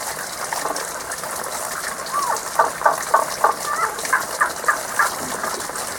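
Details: Out of sight, frogs sing a song heard only this season. After a quiet start, a steady series of sharp mid-to-high notes, roughly three per second, rises above rushing water.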